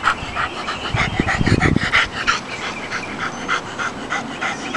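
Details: English Springer Spaniel, a male dog wagging his tail and seeing a cat for the first time, panting in quick rhythmic breaths about three per second, with a man's voice briefly underneath.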